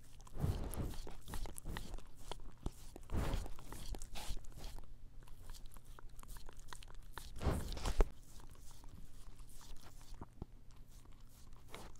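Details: Close, muffled crunching and chewing noises in a small room, with no calls or vocal sounds. Irregular soft knocks and rustles accompany the bites.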